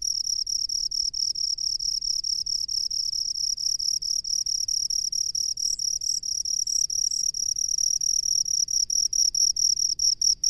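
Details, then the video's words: Cricket living in rice fields, giving a high, shrill, pulsing trill that beats rapidly and steadily throughout, with a faint upper overtone and soft low background rumble. "SUARA JANGKRIK PENGHUNI SAWAH"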